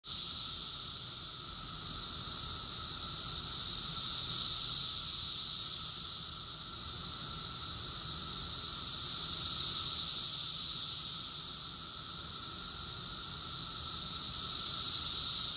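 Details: Cicadas sing in a dense summer chorus in Rockville, Maryland, USA, in June 2021: a steady, high, hissing drone that swells and fades in slow waves every five seconds or so, with a fainter lower buzzing band beneath.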